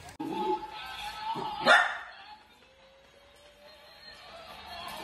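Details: A playful Dachshund lets out a few short yelping notes, then one sharp, loud bark, with a steady tone and faint background music carrying on afterwards.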